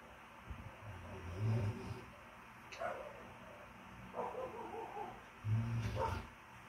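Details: Two pet cats mating on their bed during mating season: deep, drawn-out growling moans alternate with rising, wavering yowls, four bursts across a few seconds in a quiet room.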